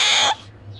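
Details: A pet male Asian small-clawed otter, rescued as a newborn and sleeping soundly after a full meal, lets out a brief, harsh, high squeak in his sleep, responding when his name is called.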